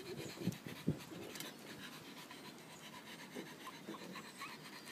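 Rapid, breathy panting from a French bulldog runs throughout, roughly two or three huffs a second. Early on, two deeper snorting grunts stand out above the steady wheezy breathing.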